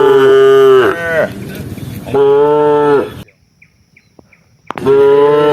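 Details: Tame cattle in a herd roaming rice fields in search of grass: two long, steady harmonic moos, then a quiet gap and the start of a third moo.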